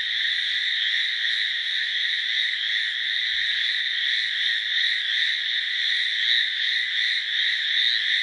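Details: Hallowell's tree frogs (Hyla hallowellii) call in a dense chorus, a steady, loud, high-pitched rattling "gii-gii" buzz with no pauses.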